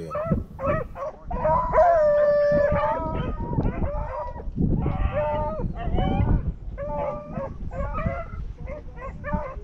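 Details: Beagle pack running elusive swamp rabbits on a rabbit hunt, with a couple of another hunter's dogs also out; several dogs give overlapping bawling howls and choppy barks in rapid bursts, with a low rumble of wind or movement underneath.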